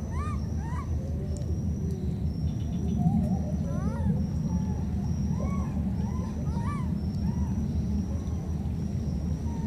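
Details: Wild baby monkey pair split apart by floodwater calling back and forth: rising-falling thin harmonic cries, several quick series spaced through the clip, heard over a constant deep motor drone.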